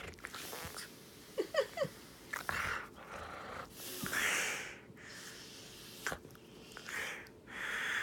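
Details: Husky Hiro with his nose pressed into a bed after a face plant, making odd wheezy snorting breaths in irregular bursts, with a few short squeaky sounds early on.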